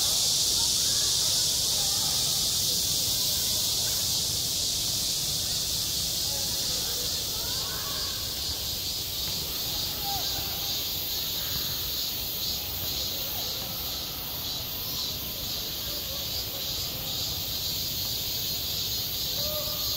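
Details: Cicadas singing in high summer at a school playground: a dense, steady, hissing high-pitched drone that holds without a break, with faint distant voices of people beneath it.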